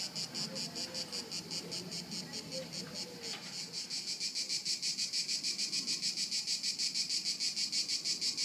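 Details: Haut-de-Cagnes crickets, 2013, chirping in quick high pulses that grow louder and faster after a few seconds, with brief faint voices early on.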